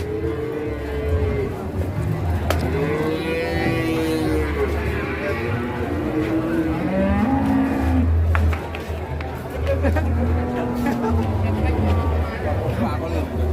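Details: Cattle raging out of control, giving several drawn-out, wavering moos, some rising then falling, over a loud low rumble of engine-like noise and clatter.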